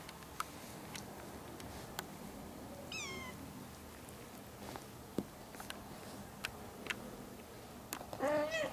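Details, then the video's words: A young mother cat, once a pregnant stray, with her four one-month-old ginger kittens indoors. A high, thin kitten meow sweeps down near three seconds, and a second meow closes the stretch, set among soft clicks, rustles and handling noises. "Mom cat with 4 meowing kittens"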